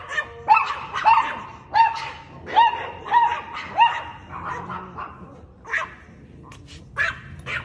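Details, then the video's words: Chihuahua barking at a cat, a burst of shrill harmonic yaps about half a second apart, then fading to a few scattered, quieter barks toward the end. "Cute Chihuahua Dog Barking At A Cat"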